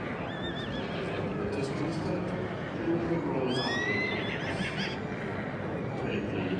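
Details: A three-year-old Welsh Cob colt neighs: a brief high tremor at the start, then a stronger whinny with stacked arcs that rise and slide downward. A person talks in the background, over constant outdoor noise.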